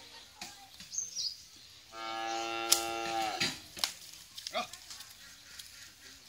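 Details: An eight-month-old Holstein Friesian heifer calf on a dairy farm in Bhangura, Pabna, Bangladesh gives one drawn-out, harmonic bawl of about one and a half seconds, framed by soft voices and clatter before and after.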